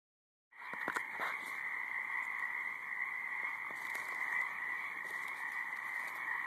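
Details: Frogs calling in a high marsh: a dense, continuous chorus of overlapping trilling croaks in two steady bands, starting after a short silence, with a few sharp clicks early on and a faint steady buzz.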